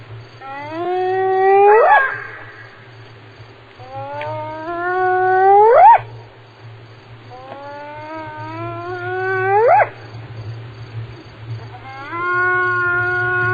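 A hyena gives a series of long, rising whoops, each sweeping upward and repeated every few seconds.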